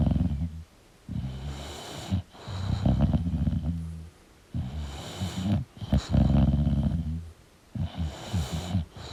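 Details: Snoring English bulldog while sleeping, producing loud low rasping breaths with fluttering, snuffling exhales, repeated about every three seconds, with faint quiet stretches between each noisy breath.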